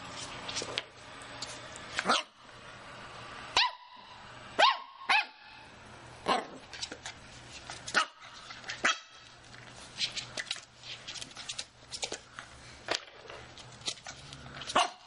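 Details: Welsh corgi giving repeated short, high barks spread across the stretch, some in quick pairs, over steady indoor background noise.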